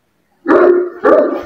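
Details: Bully Kutta dog in Pakistan, a champion animal readied for a fight match in 2024, giving two loud, harsh barks about half a second apart, each rough and broadband, with silence before the first.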